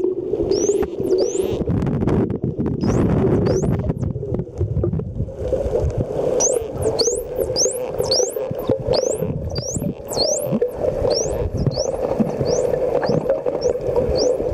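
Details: Wild dolphins at Mikurajima, Japan, during a dolphin swim, emitting whistles while releasing bubbles from the blowhole, Olympus TG-2 camera; a quieter opening of bubbling noise, then a dense series of high rising chirps, sometimes looping down and up.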